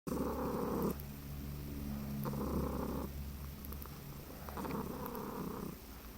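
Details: Domestic cat lying very relaxed on its owner's chest and drooling, making an odd cross between purring and trilling: low rumbling purr bursts roughly every second with breathing gaps, in a quiet small room.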